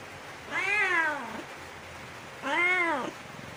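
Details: A cat near a bamboo tree, looking for food and drink, gives two clear, drawn-out meows, rising then falling, about two seconds apart over a steady background hiss.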